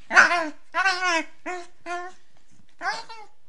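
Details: Female Beagle puppy vocalizing indoors while playing with her owner: four short, wavering, strongly harmonic yelping howls, each roughly half a second long, separated by brief pauses, with the last one rising then falling.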